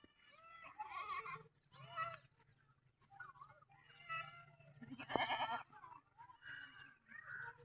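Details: Village goats bleating in a series of wavering, nasal cries, several overlapping, with a loud harsh bleat near the middle and a low steady hum underneath.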